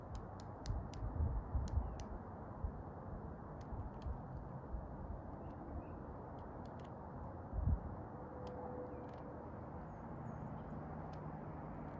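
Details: Only low rumbling wind or handling noise with a few sharp clicks is heard; no clear animal calls stand out.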